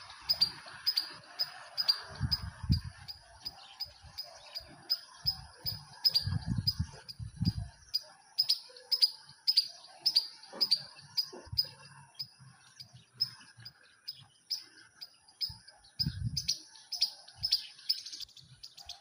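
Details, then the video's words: Rooftop squirrel calling in a steady series of brief, high, ticking chirps, fairly evenly spaced throughout, with soft low thumps here and there underneath. "Squirrel, making noise from rooftop"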